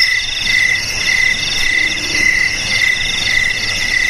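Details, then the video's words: Cricket chorus recorded for playback to drive rats from homes, garages, storerooms and rice fields: steady shrill pulsed chirping in two high tonal bands, the lower beat repeating in short bursts about every half second, with a faint background hiss. "Suara JANGKRIK"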